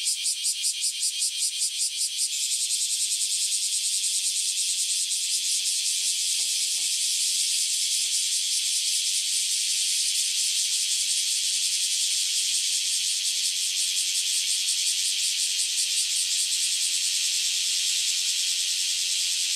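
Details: A dense chorus of newly emerged cicadas fills the air with a steady, high-pitched shrill buzz on 26 July 2012; the cicadas later fly off.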